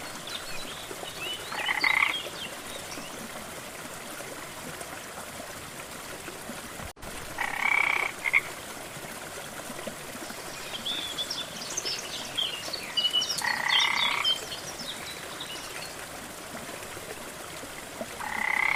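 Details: Four gruff, buzzy croaks from a frog by a jungle waterfall, spaced unevenly across the stretch, over continuous rushing water, with light high-pitched chirping between calls.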